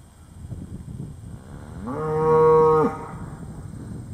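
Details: A single cow's moo during a close encounter with a basset hound: one steady, harmonic-rich lowing call lasting about a second, rising from faint background rumble and ending abruptly.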